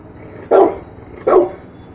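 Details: Young Rottweiler, one year old, answering the "speak" cue in a training session with two deep, full barks about three quarters of a second apart over low background noise.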